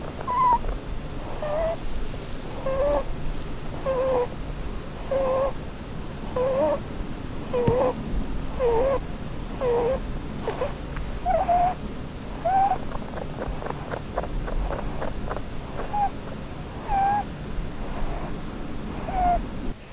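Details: Sleeping Holland Lop rabbit, a doe dreaming under a Christmas tree, snoring steadily: short squeaky whistled breaths repeated roughly once a second for twenty seconds, some wavering in pitch, over a low background hum.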